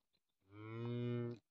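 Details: Cattle with a newborn calf: one steady, low, drawn-out moo lasting about a second, rich in harmonics, with a faint click before it.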